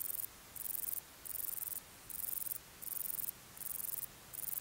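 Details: A male bicolor meadow bush-cricket (Bicolorana bicolor) gives its calling song at Torcegno, Trentino, Italy, on 12 August 2019: high, hissing buzzes of about half a second, with short pauses between them.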